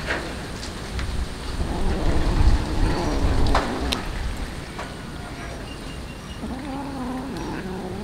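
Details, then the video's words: Hungry street cat being fed tuna fish, giving a wavering, drawn-out meow near the end after several seconds of low rumbling background noise and scattered clicks. "Feeding yummy tuna fish for hungry cats"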